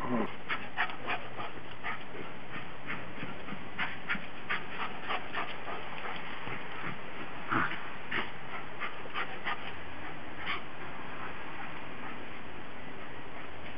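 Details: Several Japanese Spitz dogs playing in snow in Tennessee in 2009, the most snow they had ever seen; short sharp dog sounds burst out irregularly over a steady low rumble, with a louder cluster near the middle.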